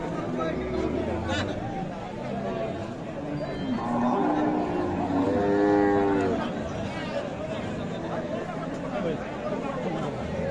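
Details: Friesian cow with calf among crowds at Khochabari haat, Sadar, Thakurgaon, 19 December: a short, slightly rising moo mid-clip, partly buried in dense chatter and market noise throughout.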